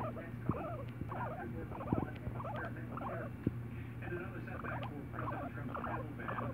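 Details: Pet guinea pig sitting on its owner's shoulder, giving a steady stream of short squeaky chirps and chattering notes, several per second in quick uneven bursts, over a low steady background hum.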